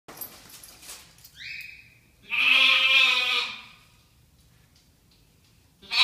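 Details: Pet lamb bleating in answer to its name and its owner's voice: a short human call, then one loud, harmonically rich baa lasting about a second and a half, followed by quiet.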